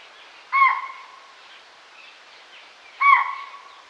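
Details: A forest deer calling its herd: two brief, clear, whistle-like calls with a strong harmonic band, about two and a half seconds apart, against a soft background hiss.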